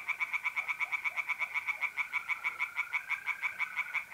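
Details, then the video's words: Rapid rhythmic croaking of tree frogs at a pond by night in mid-April, north-east Italy, pulses packed closely and steadily throughout, backed by the continuous trill of mole crickets. "relaxing singing tree frogs in pond and trilling mole crickets by night"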